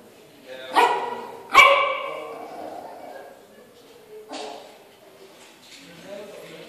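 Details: Yorkshire Terrier reacting to its reflection in a mirror for the first time. Two quick, sharp barks come close together, followed by a softer bark a few seconds later and faint whining. Human voices are in the background.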